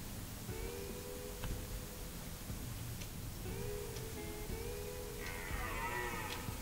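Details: Red deer stags on the Hoge Veluwe, 23 September 2010, roar during the autumn rut in long, hoarse bellows, each rising then sagging, a few seconds apart, over a steady low rumble of wind or distant noise.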